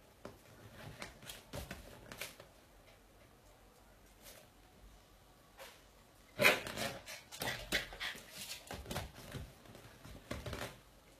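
A Bull Terrier mother gives short, harsh growling bursts and yelps while correcting her puppy indoors.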